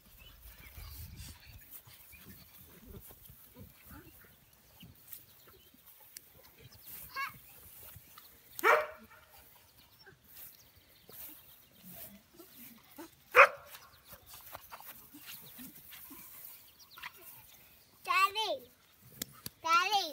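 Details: American Bully puppies, young enough to have no names yet, give brief high yelping whines with rising and falling tones at about 9, 13, and 18–20 seconds, amid a child's speech and household background noise.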